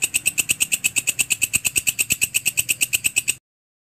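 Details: Belalang kerik grasshopper, called walang kecek, played as a master sound for birds: a quick, regular series of buzzy, ringing scrapes lasting over three seconds before stopping cleanly, with a faint low drone behind.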